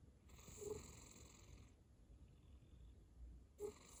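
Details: Cat snoring in sleep, one drawn-out rasping breath of about a second and a half, then a quiet pause before the next snore begins, low and soft overall.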